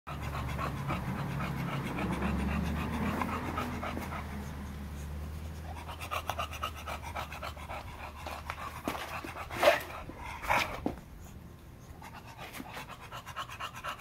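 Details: Male English Bulldog, black tri merle, offered for stud: steady, rhythmic breathy panting at about one breath per second, loudest in the first few seconds, later fading under a few sharp knocks and handling noises.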